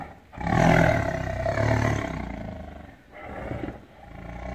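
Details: Angry caged tiger in captivity giving a long, deep, rasping roar that swells for about two seconds, then trails into lower rumbling growls before a shorter final surge.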